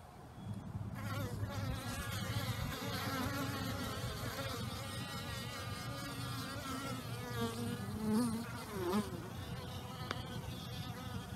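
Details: Swarming honey bees out in warm new-year weather after a torrential downpour: a thick, unbroken buzz of many wings, humming tones rising and falling as individual bees pass close by.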